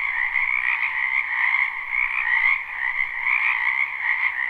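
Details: Frogs gathered in a spring wetland behind a house keep up a thick, ceaseless croaking chorus, a live recording with no looping; the loudness swells and dips slightly while the pitch stays level.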